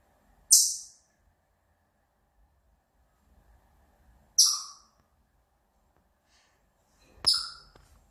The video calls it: 발정기 우는 다람쥐 Chipmunk's mating call